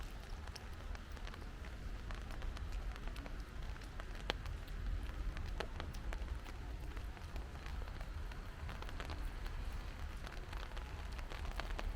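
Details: Rain falls steadily, a dense low rumble with countless sharp drop taps on hard surfaces and no animal voice heard.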